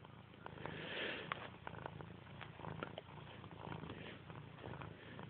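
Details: Steady rumbling purr from a pet cat called Grey, low and evenly pulsed throughout, with scattered soft clicks and rustles from handling.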